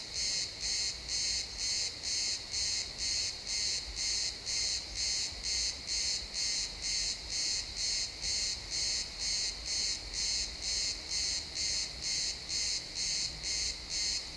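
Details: Crickets chirping in a pine forest at sunset, an XY stereo recording: high, bright pulses repeated about twice a second in a steady, even rhythm, with faint low woodland rumble beneath.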